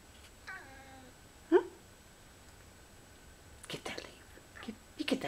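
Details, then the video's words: Lynx point Siamese cat named Precious chattering at fall leaves: a short descending harmonic chirp, then soft scattered clicks and ticking sounds with quiet room background. "Lynx Point Siamese PRECIOUS chattering at leaves"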